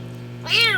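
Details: Injured kitten with paws crushed from being trapped under a vehicle, rescued and about to be fed: one short, bright meow that rises and falls, over a steady low hum.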